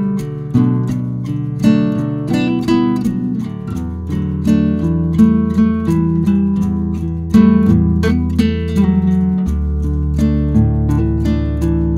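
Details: Strummed and plucked acoustic guitar music plays throughout, with no animal sounds heard.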